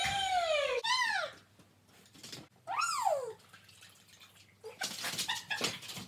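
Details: A Border Collie performing tricks lets out long, drawn whines, the first falling steadily, another rising then dropping, followed by scattered clattering and tapping noises indoors.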